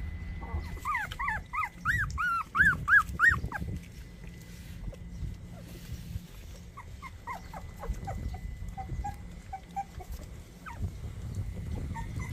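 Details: High, thin squeals from 24-day-old puppies come in a fast string of falling whines, then fade to scattered faint squeaks against a low background rumble and a faint constant tone.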